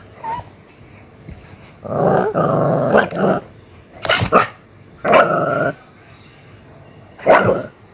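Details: Aggressive pet Miniature Pinscher alternating sustained snarling growls of around a second with abrupt, harsh barks, the outbursts separated by short quiet gaps.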